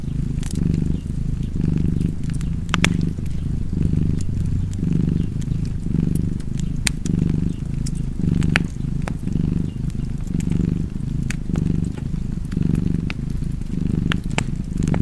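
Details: Steady rumbling purr from a cat, pulsing about once per second over fifteen seconds, while a fireplace crackles and snaps with frequent sharp clicks.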